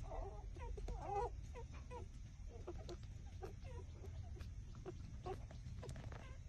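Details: Six-day-old puppies trembling as they drink their mother's milk, with a busy run of small squeaky whimpers and peeps, some wavering, coming several per second, backed by a dull low-frequency rumble.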